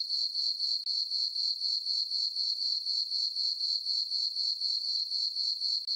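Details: On a peaceful full-moon summer night in a farm meadow, crickets keep up an unbroken high trill, pulsed roughly four times a second, with two short breaks and nothing else audible.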